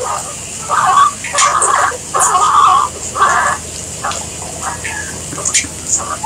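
A guinea pig squeaks in a steady series of short, slightly harsh bursts, roughly one each second. There is faint background hiss, with a few brief clicks between the calls.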